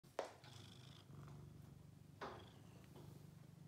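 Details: Bailey, a seven-year-old blue point lap cat, purring steadily in a low, even rumble, with two sharp taps and brief rustles breaking over it.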